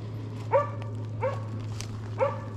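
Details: Three clear, ringing barks from Arrow, a Slovakian hound holding a wild boar at bay in Sweden during a driven hunt in November 2022. The barks are evenly spaced less than a second apart, with a faint hum behind.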